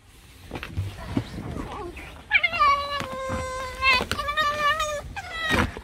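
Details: Pet fox named Alice whining in a complaining mood, a sustained nasal tonal whine with rich stacked harmonics held for about three seconds, then a second shorter whine; a person speaks softly beforehand and brief clicks break in.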